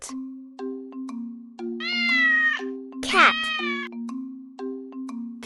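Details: Domestic cat meowing twice over light children's music: first a drawn-out, slightly rising meow, then a shorter, sharper meow with a falling sweep.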